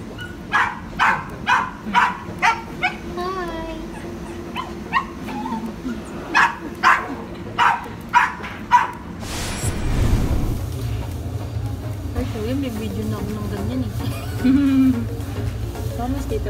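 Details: Shih Tzu at its first grooming at a veterinary and grooming clinic, giving short sharp barks and yips about once a second, followed by whining, with clinic background noise and a loud rustling burst.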